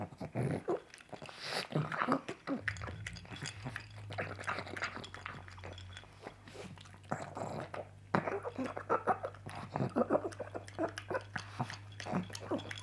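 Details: Coco, a pet pug, eating sausage for breakfast indoors: wet smacking and chewing in dense irregular bursts, with snorty nasal breaths between mouthfuls and a steady low hum underneath.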